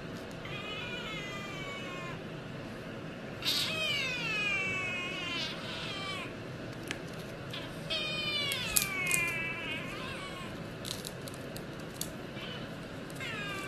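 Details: Several cat meows and drawn-out wailing calls, harmonic and falling in pitch, overlapping in bursts around the fourth and eighth seconds over a steady background hiss, ending with an excited human exclamation.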